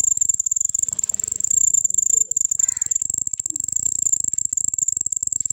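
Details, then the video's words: Cricket trilling as a steady, piercing high-pitched tone pulsing rapidly without pause, with faint background rustles and a short lower chirp midway. "cricket making sound|ചിവീട് ശബ്ദം ഉണ്ടാക്കുന്നതെങ്ങിനെ എന്ന് കണ്ടിട്ടുണ്ടോ"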